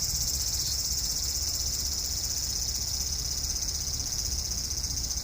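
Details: Cicada singing in a cherry tree in a front garden on the evening of 5 August 2012, after a hot day; a steady, high, unbroken shrill buzz continues throughout over a low background rumble.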